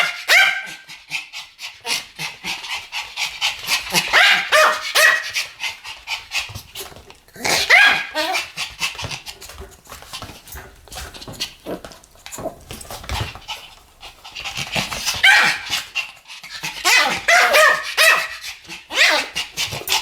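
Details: Two Pomeranians barking in duet, bursts of rapid high-pitched yaps overlapping in dense runs of several seconds, broken by short quieter gaps.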